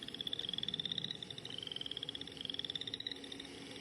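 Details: Boreal chorus frog, one of the first Iowa frogs to breed and sung through an expanded throat pouch: rapid pulsed, rising trills, like a fingernail run along a comb, repeating in quick succession with a chorus of similar callers behind.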